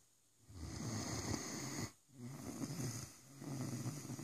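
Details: Rosco the Great Dane snoring loudly: long, rumbling, raspy breaths lasting over a second each, with a brief quiet pause for the inhale between them, indoors.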